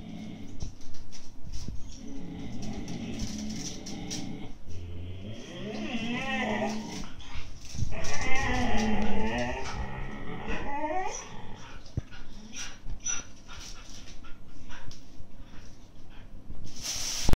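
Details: Two 8–9-month-old Siberian Husky puppies argue over an empty food bag, growling and grumbling in low, rough bursts with a few higher whining yips, shortly before fighting for real.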